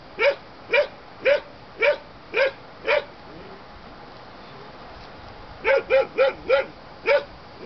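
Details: Young German Shepherd pups of the Aqua and Tiger litter, born 7/6/2012, yapping in two quick runs of sharp high barks, about six evenly spaced then five closer together after a short gap.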